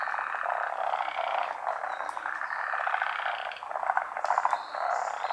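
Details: Forest green tree frogs, endemic to Japan, at a midday spawning over still water during the rainy season; thick, steady chorus of rapid rattling croaks, swelling and dipping, with a few short higher notes near the end.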